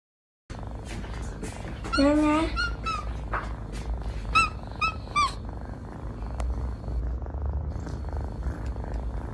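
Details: Baby kittens at play give a few short, high, thin mews in quick succession, with a soft low rumble like purring underneath and a faint background hiss.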